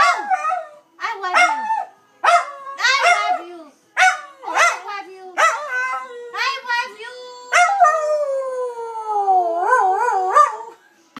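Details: Dachshund Dusty howls his love for his owner: choppy yips and short yodelled notes, then a long howl that slides downward and ends in a wobbling, vibrato-like finish.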